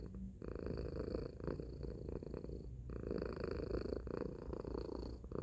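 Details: Domestic cat Tacy producing a loud, coarse, buzzing purr. The throbbing drone runs almost unbroken, with one clear breath gap around the three-second mark, in a quiet indoor setting.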